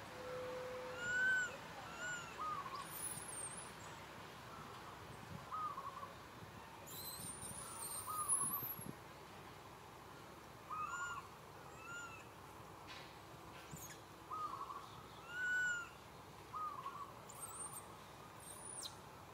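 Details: Little monkey Santo, a baby, cries sadly for his mother Sara and asks for milk: clear arched, tonal coo-like cries with a rise and fall, repeated every few seconds, among thin high whistles and faint background noise.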